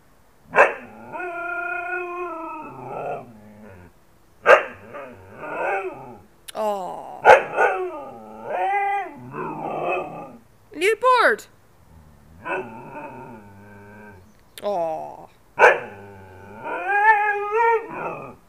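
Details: A female Siberian husky 'talks' in drawn-out, wavering howls that bend up and down in pitch, answering a person.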